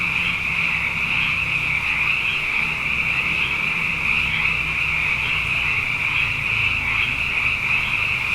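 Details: Night chorus of plentiful frogs following two consecutive wet years: a continuous shrill, pulsing wall of calls that never pauses, with a soft low hum running underneath.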